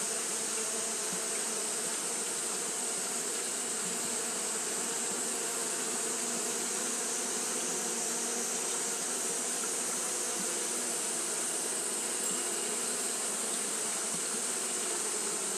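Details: On a hot day, Japanese honey bees fan without pause, producing a smooth, constant drone with a soft upper overtone. Steady broadband hiss fills the background.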